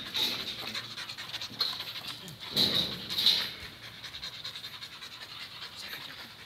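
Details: Thai Ridgeback Kato, a male of four and a half, shelter dog for nearly two years, meeting someone new: steady hissing pants repeated in quick succession, with a few louder breathy bursts midway.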